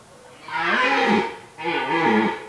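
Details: Red deer stags during the 2023 rutting season in an autumn forest: two loud, harsh, throaty roars, each rising and then dropping in pitch with rich harmonics, the first lasting about a second and the second shorter, with a brief pause between them.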